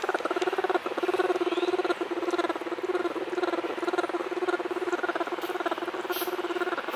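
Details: Orphaned bear cub that seems to take a human for its mother, humming: a sustained buzzing stream of fast, even throaty pulses at one steady pitch, broken only by brief pauses for quick breaths.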